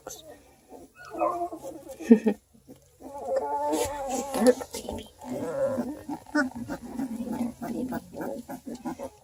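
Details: A litter of two-week-old Redbone Coonhound puppies under a heat lamp whine and squeal in thin, wavering notes while a person talks nearby, at a breeder in Ontario, Canada.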